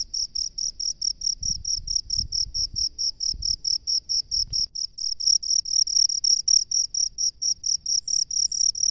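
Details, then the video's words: Cricket living in rice fields, calling with high, ringing chirps pulsed about twice per second in a steady, even series; faint low rumbles sound in the background for a few seconds. "SUARA JANGKRIK PENGHUNI SAWAH"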